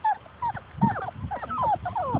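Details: Outdoors, a litter of Labrador Retriever puppies chases its mother, letting out repeated thin whimpers and brief squeals, some sliding down in pitch, in quick succession with faint low thumps beneath.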